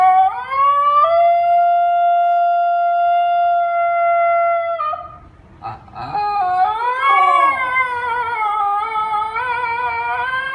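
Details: Ginger Snap, a female Basenji, talking at length: a loud sustained yodel held flat for several seconds, a brief break, then a bending, warbling howl that rises and wavers until the end.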